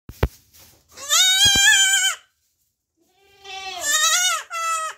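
A young goat bleats twice, high and quavering, each cry lasting about a second.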